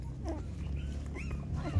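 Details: Mother dog GiGi nursing six puppies: thin rising whimpers and squeals sweep upward in a few brief cries over low background rumble.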